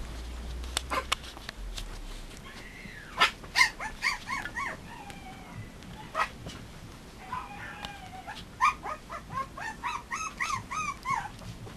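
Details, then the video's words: Mame Shiba puppies, one red about 29 days old and one black about 23 days old, giving thin rising whimpers and yips in irregular bursts, with soft scuffling between calls. "【豆柴】子犬 ﾘﾄﾙｴﾝｼﾞｪﾙ♪"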